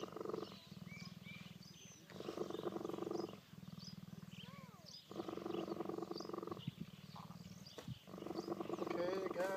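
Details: Purring cheetah cuddling up at a park outside Johannesburg, South Africa, in September 2014; loud rattling purr in repeated bouts of about one to two seconds, alternating with quieter breaths, some faint chirps in the background.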